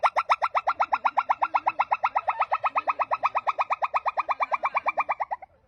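A monkey gives a fast, steady run of bright, nasal pulsed notes that slowly fall in pitch.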